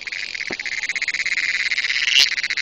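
A cricket gives a rapid, evenly pulsed chirping trill, high-pitched and continuous throughout. A couple of brief clicks or taps break in, but the insect's rhythmic buzz dominates.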